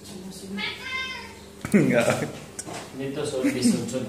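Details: An angry Siamese cat that dislikes having its body touched gives a drawn-out, wavering meow, then a louder harsh cry of annoyance.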